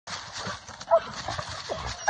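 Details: A Treeing Walker Coonhound on a South Carolina coon hunt gives short, ringing barks that tell hunters a raccoon has been treed.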